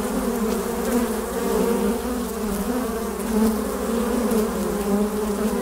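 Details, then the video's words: Many western honey bees hum at a hive entrance in a steady, low drone, swelling and easing gently without pause. "Bienensummen am Flugloch - 5 Minuten das Summen der Bienen"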